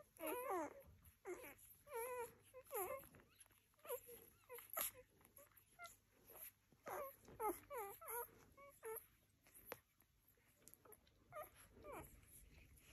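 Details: Rhodesian Ridgeback puppies whimpering and squealing in short rising and falling whines, several overlapping voices in bursts through the clip, with a steady high hiss in the background.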